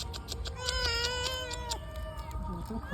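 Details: Domestic cat eager for fish gives a loud, drawn-out meow with rich harmonics, bending slightly downward before tailing off, followed by softer short cries amid human chatter and a low background rumble.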